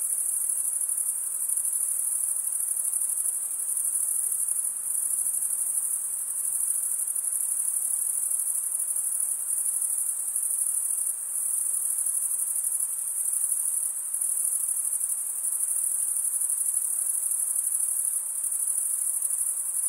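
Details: Crickets chirping at night in a summer forest: a dense, continuous, very high-pitched shimmering trill that holds steady for the whole stretch with only slight swells in loudness, and no other sounds.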